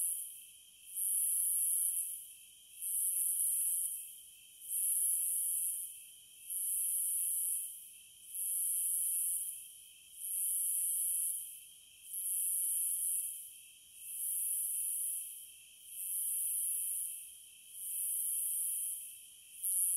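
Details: Sustained cicada chorus pulsing steadily, about ten loud hissing swells, each separated by a short dip, above a faint, unbroken lower drone.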